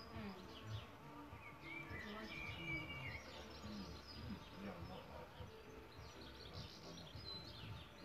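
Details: Buzzing of solitary bees at their bug hotel nest site, a steady low hum in wavering bursts, overlaid by scattered thin bird twitters and whistles.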